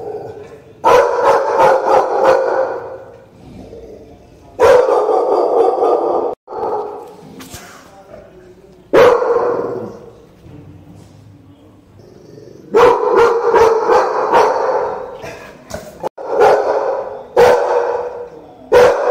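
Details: A pair of American Pit Bull Terriers bark in quick runs of coarse, rasping barks, several volleys of rapid repeated barks broken by brief lulls.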